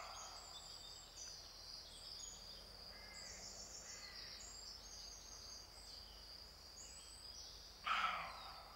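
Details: A single loud, rough bark from a rutting male roe deer bursts out near the end, after quiet stretches filled with a constant high-pitched insect hum and faint distant bird notes.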